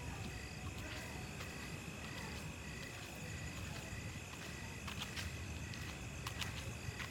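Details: Crickets trill steadily in high, thin tones over a low, rumbling background hum at night after rain.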